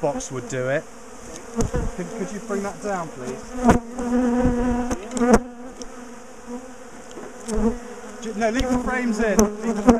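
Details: A big, bad-tempered bee colony being split and moved out of a top bar hive; a sustained swarm-like drone of many bees rising and falling in pitch, overlaid by frequent clatter, knocks and handling sounds.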